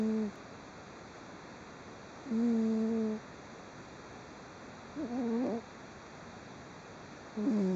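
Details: Sleeping domestic cat snoring while twitching lightly, recorded 3 June 2011; nasal, humming-like tonal snores with a low buzzy pitch and clear overtones, some wavering, coming every two to three seconds in a quiet room.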